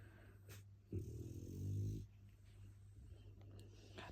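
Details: Sleeping Shar Pei dog snoring indoors: one long, low rumbling snore lasting about a second, with soft rustling and faint household noise around it.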